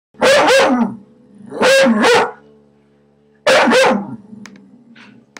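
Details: Eight-month-old puggle barking at a TV advert indoors: three bursts of sharp, harmonic double barks, roughly 1.5 seconds apart, with quiet gaps between.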